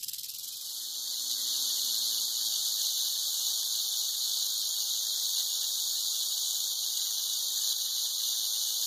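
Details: Western diamondback rattlesnake rattling: a loud, continuous, high, hiss-like buzz that swells in within the first second and holds steady and unbroken throughout.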